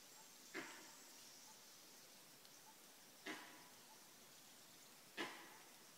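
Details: Langur in Kanha National Park sounding its alarm at a predator close by, early on a March morning: three sharp, gruff barks roughly every two to three seconds, with faint hissing ambience between.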